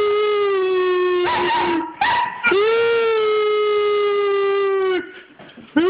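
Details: Three-month-old German Shepherd puppy gives long, steady howls, broken by a brief rough, noisy burst, in response to a person howling at him, unsure what is going on.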